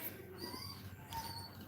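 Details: During Cashmere's labour a Cane Corso gives soft, faint whimpers, two drawn-out nasal whines with slight downward bends, heard against steady low background hum indoors.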